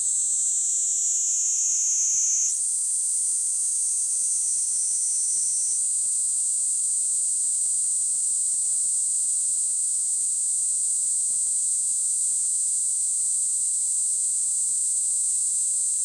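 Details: Kaempfer cicada song: a high, unbroken buzzing drone. Early on the pitch briefly shifts, and a lower layer rises and cuts out, then the tone settles into a steady, intense whine.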